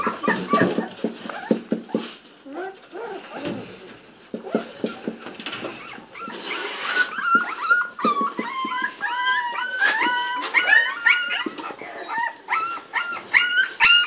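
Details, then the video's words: Thirty-day-old English Springer Spaniel puppies: low murmuring voices and rustling at first, then from midway a dense chorus of thin, high whines and squeaky yips, rapidly repeated and overlapping, growing busier toward the end. "cuccioli springer spaniel di 30 gg!!"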